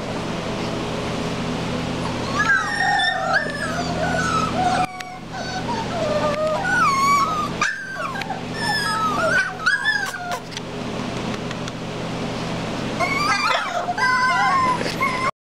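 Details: Miniature Schnauzer. Several Miniature Schnauzer puppies give high, quavering whines that bend up and down, with short yips between them. A low steady hum runs underneath throughout.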